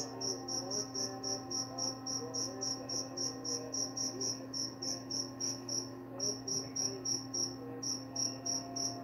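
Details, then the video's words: Quick, shrill cricket chirps come about three to four a second, with two short breaks. Faint wavering music or voices and a steady low hum sit in the background. "Suara jangkrik pengantar tidur dan juga mengusir tikus"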